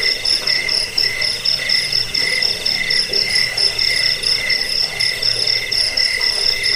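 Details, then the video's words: Cricket chirping, offered as a rat-repelling, sleep-inducing track also used for tutoring songbirds: rapid high-pitched trills pulse without pause, layered in two shrill bands with a faint ticking above. "Suara jangkik pengusir tikus pengantar tidur"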